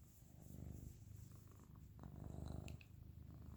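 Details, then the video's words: Sleeping pet dog Dodger snores indoors: a deep, continuous, fluttering rumble rising in two louder swells, each breath carrying a rapid pulsed vibration, with faint small rustles above. "the dog is snoring"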